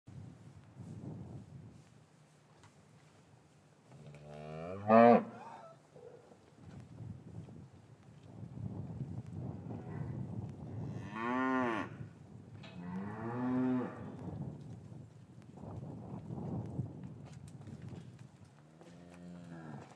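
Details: Cattle in an English farm yard on a winter afternoon, calves separated from their mothers; several harmonic moos of varying length rise and fall across the recording, one loud short call near the start, others softer amid low yard rumble.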